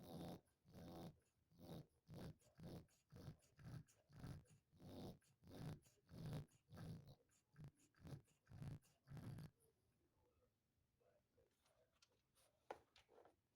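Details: Dog asleep, snoring steadily: rough, low rumbling breaths, roughly one and a half per second, fade out after about nine seconds, leaving faint room noise and a small click.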